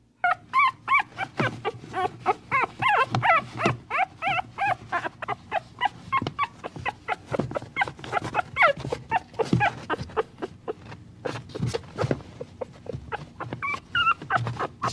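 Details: Dog yapping almost nonstop, about three quick, uneven yips and barks per second for the whole stretch, with a few higher squeaky whimpers mixed in and a steady low hum underneath.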